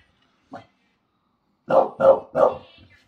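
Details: Two English Bulldogs annoying the neighbours: a single soft woof, then a quick run of three deep, gruff barks.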